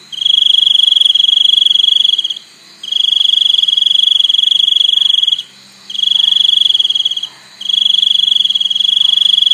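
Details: Long, loud, shrill trills from a cricket, bursts of two to three seconds broken by brief pauses, the high ringing tone dominating a faint low murmur.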